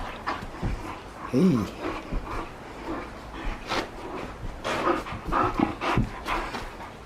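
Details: Akita dog named Yuki, home early under threatening skies, playing indoors with balls and ropes and catching them in mid-air; heavy rhythmic panting, a short rising-then-falling whine near the start, and soft thumps from the play.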